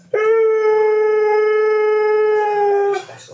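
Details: Siberian Husky howling on hearing his owner's voice from a TV show he appeared on: one long, steady, pure-toned howl held for nearly three seconds, slightly falling at the end, with a brief voice after.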